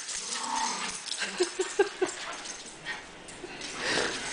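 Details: Two rescued sister dogs, former puppy mill breeders, playing together indoors; a quick series of five short high yips around the middle, with faint whimpering, shuffling and background noise.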